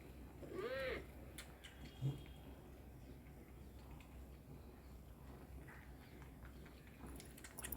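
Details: Kittens suckling milk indoors: soft, irregular wet smacking and sucking noises, with one short arched mew near the start and a louder click about two seconds in.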